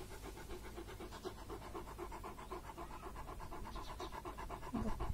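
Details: Purebred female German Shepherd named Ruby, up for adoption, panting in a steady rapid rhythm of soft breathy pulses, about four per second, with no other clear sounds.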